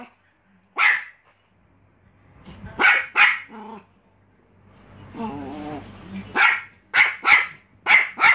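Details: Barking Pomeranian with scattered sharp yaps, a short whimper and a woman's voice over a low hum in the middle, then a closing burst of five rapid high barks.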